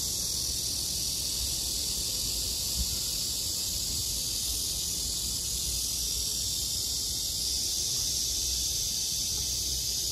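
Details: Cicadas on a summer night fill the air with a steady, high, hissing drone that never breaks.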